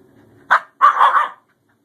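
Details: Indoors with a newly adopted male Scottish Terrier named Bjorn and his older sister Savannah, early conflict giving way to play: a short clipped bark followed by a longer, rougher, wavering bark-growl, then silence.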